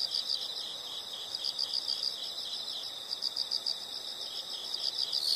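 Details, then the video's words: High-pitched insect chirping, fast pulses grouped in bursts, running steadily over a hissing, noisy background. "the sound of insects"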